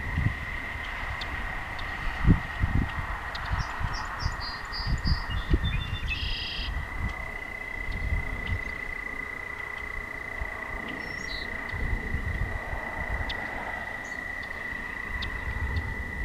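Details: Night chorus of toads by a walking path: a long unbroken steady trill runs the whole time, with scattered short bird-like chirps and low rumbling footsteps beneath.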